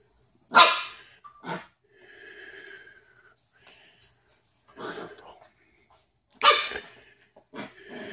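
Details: A pet Corgi in the United States barks because he wants his bed back. Three sharp, loud barks sound at the start, just after, and near the end. Softer grumbling vocal sounds fall between them, and a person speaks Spanish afterwards.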